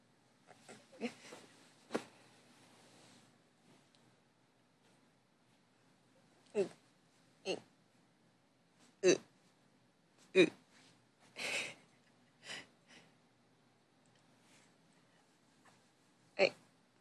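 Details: Sleeping deeply indoors, old female Chihuahua Bell, aged 15, gives irregular short wheezes and hiccup-like snorts, a cluster early on, then about eight sharper breathy bursts spaced one to two seconds apart in a quiet room.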